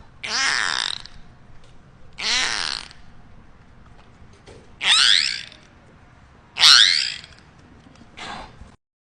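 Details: Beluga whale (Delphinapterus leucas) in Orlando, Florida, gives raspy pulsed bursts followed by squeaky, rising whistles.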